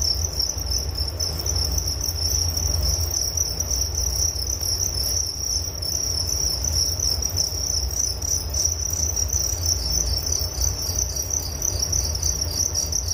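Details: Steady high-pitched cricket trill, unbroken and even in loudness, layered over a constant low-frequency hum.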